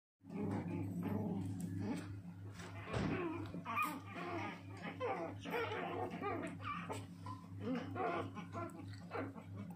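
Shih Tzu puppies squeak, yip and growl in bursts while play fighting, over a steady low hum.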